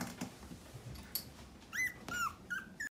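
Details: Fluffy mixed-breed dog indoors in a small room giving several short, high whining whimpers that rise and then fall, clustered near the end, with soft rustling and light knocks between them.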